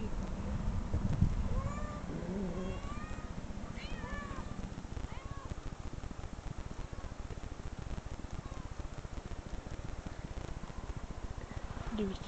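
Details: Recorded cat meows played back from online videos, set off a dog who growls and searches for the 'cat'; several short rising-falling harmonic meows in the first five seconds over a constant low rumbling hum.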